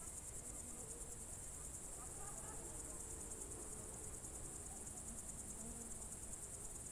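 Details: June 2023 evening crickets in Novgorod Oblast's Novye Buregi tract, Russia, sing a continuous high shimmering trill, while faint scattered chirps and soft murmurs sit lower in the background.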